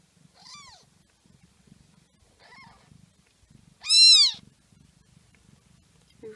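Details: Pet mother cat giving birth to a litter of four kittens, two orange and two black; three arched, drawn-out meows, the last one loud and high, over faint soft rustling in a quiet room.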